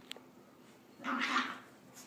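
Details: A pet dog trying to learn to come down the stairs while being encouraged gives a single short, rough, whining bark lasting about half a second mid-clip; a faint click near the start, otherwise quiet indoors.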